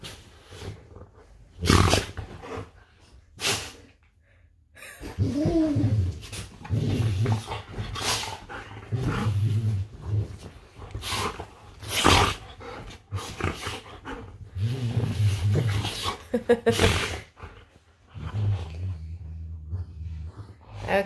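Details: Golden retrievers play fighting in bed, giving low rumbling growls and snorts in bursts among sharp rustling of bedding, with short pauses between scuffles.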